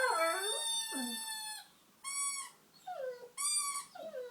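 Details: Honey, a pet dog, sings along while a squeaker torn from a toy is played with. Short bending whines alternate with bursts of steady, high, reedy squeaker tones, with brief pauses in between.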